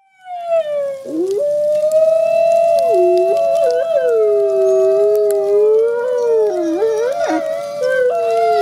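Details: Two captive gray wolf siblings at a conservation center, ambassador wolves, howling together: long sustained tonal howls gliding around a steady pitch, with dips and wavering bends as the voices overlap and interweave; no other sounds.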